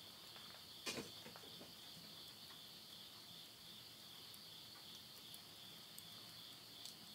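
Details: Insects calling at midnight at the end of summer, September 2020, in the countryside of Yurihama, Tottori, Japan: a steady, high, shimmering chorus in two close bands, with one sharp pop and faint crackling from wood burning in a stove.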